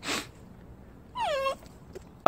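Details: Jindo dog, one of a pet married pair, whimpering: a single drawn-out whine sliding down from high to lower pitch over about a third of a second, bracketed by brief bumping noises before and after.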